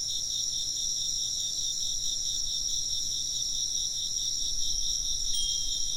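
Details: Insects chirping in a steady, dense chorus of high pulsing trills layered in two shrill bands, unbroken throughout, over a low background rumble, with one faint bright tinkle near the end.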